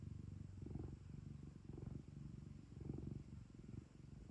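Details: Domestic cat kept at home, purring steadily: a low, rumbling, pulsing drone that swells and fades with each breath, roughly once per second, in a quiet room.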